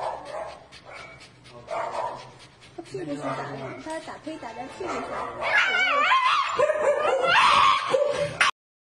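A Shiba Inu lets out a shrill, wavering scream that rises and falls in pitch.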